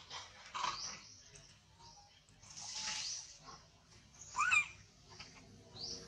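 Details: Tiny baby monkey crying in high, strained squeals, a few short cries spread apart and one louder sharp cry near the end, with low rumbling background noise.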